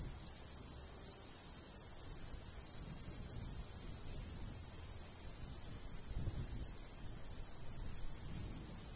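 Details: Summer countryside crickets by a golden wheat field chirp in quick, bright pulses, bunched in small clusters with brief gaps, while a light breeze rumbles low and a thin, even insect hiss hangs high above.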